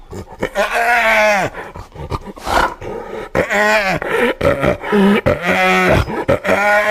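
A hyena gives loud, harmonic calls that swoop up and down in repeated bursts.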